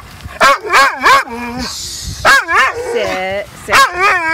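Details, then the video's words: Protesting dog at the beach refuses to leave after a long game of fetch; warbling, rising-and-falling yowls in short bursts, some trailing into lower drawn-out moans, while a person's voice coaxes it along. "Hilarious Dog Throws Tantrum at Beach"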